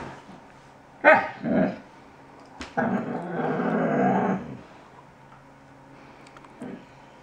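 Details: A talkative 5-month-old male Alaskan Malamute puppy complains about something, grumbling and whining in short bursts, then gives a longer warbling complaint.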